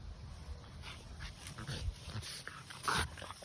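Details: A French Bulldog gives short snorting whimpers and yips during rough, excited indoor play, possibly with a cat, while being told to be gentle.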